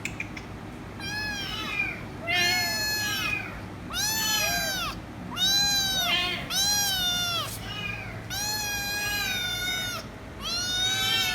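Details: Loud kitten that won't stop meowing until given head rubs calls in a rapid series of about seven strident, arching meows, each near a second long, with short gaps, over low background hum.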